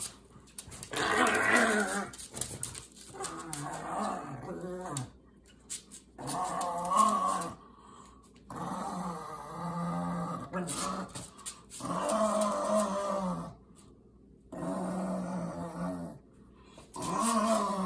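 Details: Pugs Ernie and Milo growling during a tug of war over Ernie's favorite shoe; bursts of rough, low, harmonic growls lasting one to two seconds, separated by short pauses, with scuffling between them.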